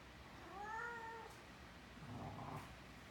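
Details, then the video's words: Abbie, a pet cat, meows while loving on Mikey, a six-month-old Great Dane puppy: one drawn-out, slightly rising-then-falling tonal meow lasting under a second, followed by a soft rustle and quiet room tone. "Talkative Cat"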